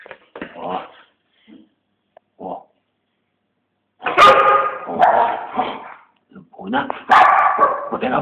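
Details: Eight-year-old female Siberian Husky playing with her owner, recorded on a Samsung GT-S5230 phone: a few faint sounds early on, then three loud, harmonic, yodelling barks in the last half, with a person's voice mixed in.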